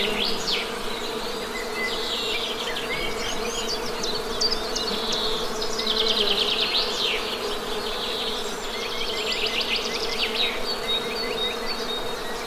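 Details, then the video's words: Honey bees humming in a steady, low droning buzz with layered harmonics, constant throughout, while birds chirp and trill repeatedly in fast, high bursts above the hum. "Best Honey Bee Sound!"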